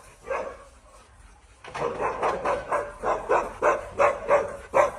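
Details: After a quiet opening, an Alaskan Malamute bursts into a rapid, rhythmic run of about ten throaty woo calls, each short and mid-pitched, coming roughly three per second until the end.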